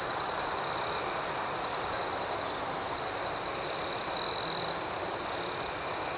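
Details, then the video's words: Nighttime cricket chorus outdoors: a continuous shrill trill holding one high pitch, lightly pulsing, with one caller swelling louder for about half a second near the end before the even chorus resumes. "Soothing Cricket Sounds"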